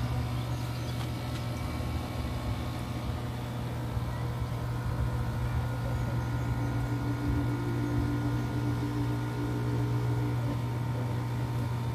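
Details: Steady low mechanical hum, like an idling engine or motor, fills the whole recording with no animal call audible.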